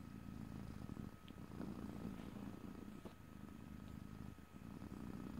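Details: Domestic cat purring in a quiet close-up stereo recording, no speech: a steady low-pitched rumble pulsing in regular breathing cycles, louder around two seconds and dipping briefly near four and a half seconds.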